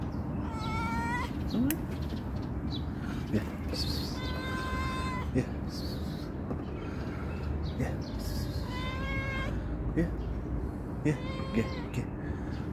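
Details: A calico cat that comes when called gives a series of clear, drawn-out meows, some rising and falling, roughly every two to three seconds, while a person talks softly in Turkish and calls to it.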